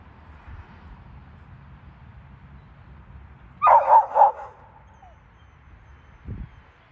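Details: Pups in a yard barking at alpacas across a fence, wanting to chase them. A quick burst of three sharp barks comes midway, then a soft thud, over a low background hum.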